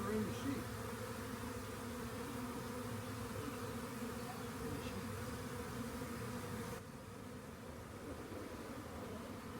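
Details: Honey bee swarm near a rain gauge: constant layered buzzing drone, a few faint knocks early on, and the hum drops slightly quieter near the end.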